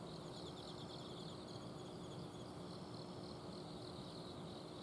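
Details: Autumn insects at night in a garden in Azumino, Japan, trilling in quick high pulses that are strongest in the first half and thinner later. A steady mechanical hum from an air-conditioner outdoor unit fills the background.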